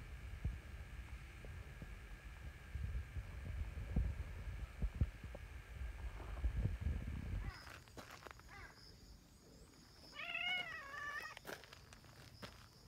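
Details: Community cats, a female brown tabby with a black cat that arrived later, outdoors; a wavering, harmonic meow rising and falling over about a second and a half near the end, after rustling and footstep-like thumps.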